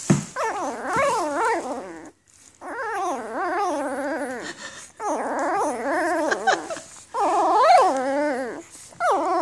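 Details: Litter of newborn Afghan Hound pups born May 2014 crying in a run of long, quavering whines that wobble up and down, about five cries separated by brief pauses.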